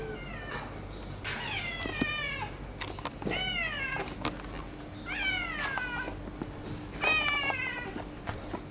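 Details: Friendly female white-and-silver-tabby neighbourhood cat, sharing her sleeping spot with a rival cat, gives a series of about five plaintive, falling meows spaced a second or two apart, with soft thumps and rustling in between.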